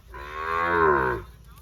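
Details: Sahiwal bull at a cattle market in Birampur, Dinajpur, Bangladesh, on 24 June, lows once with a rich harmonic moo lasting about a second, rising then falling slightly; faint background hum.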